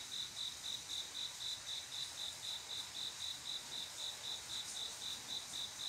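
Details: On a still summer night a male cricket calls a female to mate, sending out a clean, high chirp pulsed regularly about four times a second against faint, steady background noise.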